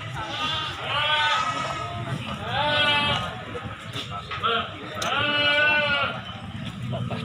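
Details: Goats for sale, breeding does and kids, at the Silir livestock market in Semanggi, Solo, give three drawn-out quavering bleats about two seconds apart, each rising then falling, amid steady market chatter and voices.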